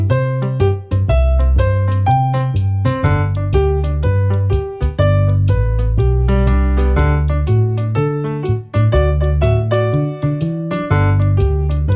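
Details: Electric piano melody over a deep bass line with dense chords, no animal voice present.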